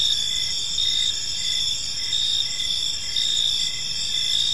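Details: Crickets in a park at evening, continuous high shrill trilling with brief pulsed chirps repeating steadily, a calm unbroken insect background.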